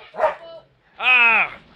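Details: A Rottweiler named Brutus gives a loud, drawn-out, harmonic bark of anger after a shorter vocal burst, reacting to an aluminum baseball bat being pulled on it; it charges and bites the bat.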